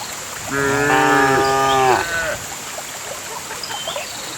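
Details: A single full-throated moo, nearly two seconds long and rich in harmonics, from a herd of cows being driven along a path to the farm pen in the countryside, followed by quiet ambience and a few faint chirps.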